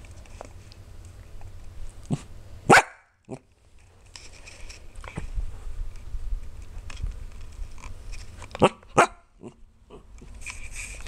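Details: Biscuit, a sleepy female Pembroke Welsh Corgi, grumbles and whines in short talkative bursts while trying to stay awake. Two sharp louder sounds break through, and a soft human voice speaks soothingly between her vocalizations.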